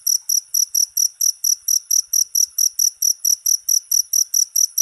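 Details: Cricket chirping in a fast, steady series of short, bright, high-pitched pulses, about eighteen chirps in five seconds, each a crisp trill burst with even gaps and no other sounds.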